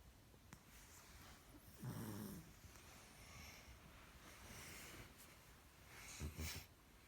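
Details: Sleeping giant panda snoring: two low, rasping breath bursts about four seconds apart, the second rougher. Faint hiss and soft background rustle in between.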